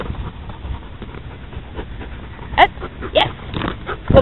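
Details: Belgian Malinois, a male about one year old, newly moved from an animal shelter into rescue in March 2011 and excited to be out: three short, sharp yelping whines near the end, over low rustling and handling noise.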